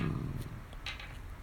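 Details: Low, rough growl from a Dachshund during a plush-toy tug game, loudest at the start then fading into a softer rumble, with a brief breathy rustle near the end.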